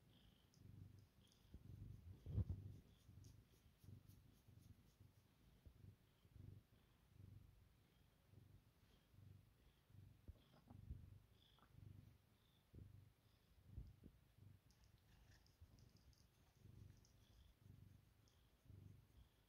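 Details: Domestic cat purring during bedtime head rubs, indoors; a soft, low, steady rumble pulsing in regular waves throughout, with faint rustling now and then.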